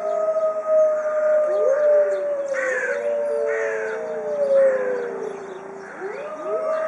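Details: White Arctic wolf pack kept in a zoo, howling together as a group; steady drawn-out howls overlap with short rising yips and swoops, several voices braided into a continuous chorus.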